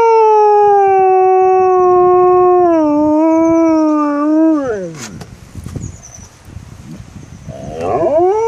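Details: Female dog giving one long steady howl that slides downward and fades, followed by quieter noises and the start of another rising howl; faint high chirps sound in the background.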